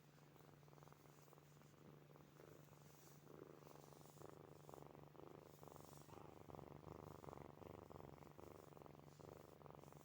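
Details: Purring from the sleeping kittens Snowy, Furry and Zoe, a low continuous rumble that swells and fades with each breath, roughly once per second, growing a little louder midway, with light snoring-like rasp.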